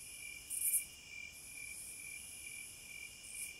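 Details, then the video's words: Cicadas in nature give a shrill, steady ringing drone. A loud rasping burst comes early, and a softer swell follows at the end. "Sounds of the Wilderness & Nature ASMR Study Rest Relaxation Sleep White Noise No Music - Cicadas"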